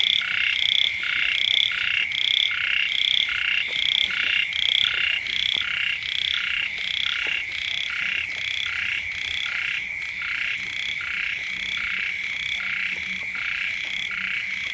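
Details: At the first rains, a frog chorus calls right by a house. Many callers overlap in fast rhythmic bursts of reedy, nasal croaks, steady throughout, with a faint high whine in the background.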